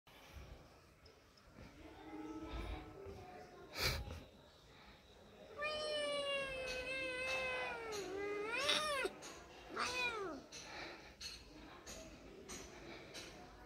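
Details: Domestic cat giving several drawn-out, wavering meows from about six to ten seconds, each rising then sliding down, amid indoor background noise and brief knocks.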